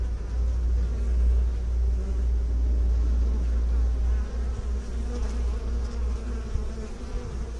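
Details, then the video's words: Honey bees from beekeepers, a steady low continuous hum with dense overlapping buzzing, slight wavering in loudness throughout, no other sounds standing out. "Bee song"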